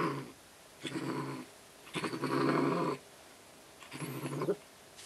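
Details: Angry pet cat excited by a toy, growling in three low, rough bursts of about half a second to a second each, separated by short quiet gaps.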